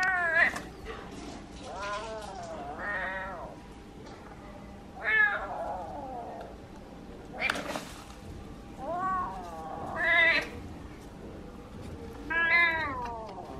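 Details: A kitten calls insistently when wanting to communicate something, giving about six wavering, rising-and-falling meows every one to two seconds over a low indoor hum.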